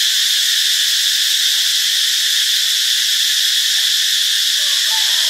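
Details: Cicada chorus from Ubon Ratchathani, Thailand, on Friday, March 26: a continuous shrill hiss-like buzz with a strong ringing tone at its core, even and unchanging, with a faint higher whistle near the end.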